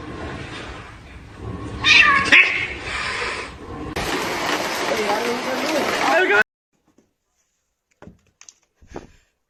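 A kitten gives a couple of thin, high-pitched meows among people talking.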